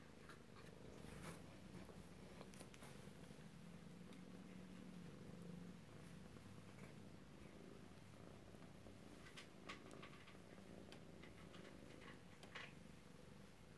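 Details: Kittens in Alabama, recorded close-up at home on 2/7/18, purring in a low, steady, continuous rumble throughout, with a few faint clicks and rustles above it.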